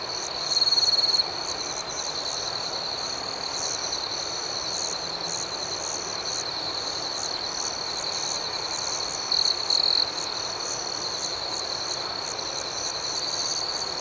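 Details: Nighttime cricket chorus, a continuous high-pitched ringing with rhythmic chirps pulsing several times a second. Louder near trills stand out briefly near the start and again around ten seconds in.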